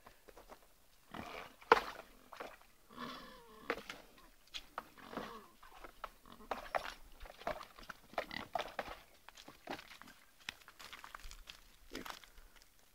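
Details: Kunekune pig sharing a bath, giving short, rough grunts and snorts at irregular intervals, one brief squeaky note early on, with splashing and broadband rustling between the calls.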